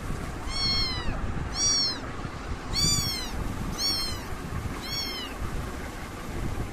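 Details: Five repeated meows from British kittens, each a high, curved, harmonic cry about a second apart, fairly even in loudness, with low background rumble throughout.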